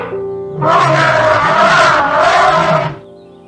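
An elephant gives a loud, brassy, blaring trumpet lasting about two seconds. Soft instrumental music plays before and after it.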